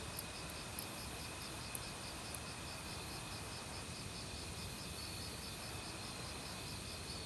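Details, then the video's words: Autumn forest crickets with other insects beside a stream: regularly pulsed high chirping over a steady shrill hum, a few sharp high clicks early on, and flowing water throughout. "가을 귀뚜라미 소리"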